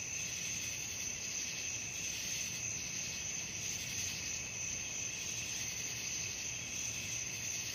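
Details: Steady shrill trilling of crickets at night, several high bands merging into one bright buzzing drone with faint periodic swells, little else audible.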